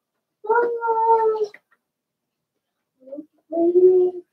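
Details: Young Blenheim Cavalier King Charles Spaniels, one of a litter of six in an indoor pen during potty training; a loud, steady, tonal whine of about a second, a short squeak, then another lower drawn-out whine.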